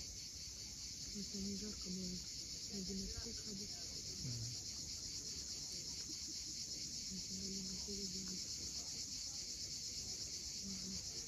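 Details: Sunset cicada chorus on the Crimean coast at Cape Fiolent, a constant high-pitched shimmering buzz without pause, while short low hums are heard in the background.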